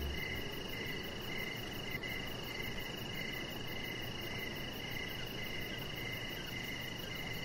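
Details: Outdoor evening chorus of crickets by a lit deck. Evenly spaced, bright chirps repeat steadily against a sustained high trill and broad background hiss.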